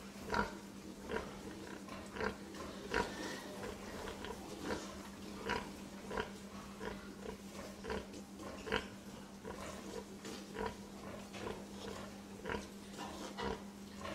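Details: Pig making many brief snuffling grunts and oinks in irregular bursts throughout, with a faint steady electrical-sounding hum underneath.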